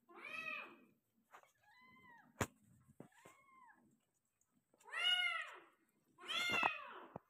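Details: Persian cat in labour, delivering five kittens: loud, harmonic, bowed meows at the start and end, with quieter, thinner mews and a sharp thump in between. Calls come irregularly over seven seconds.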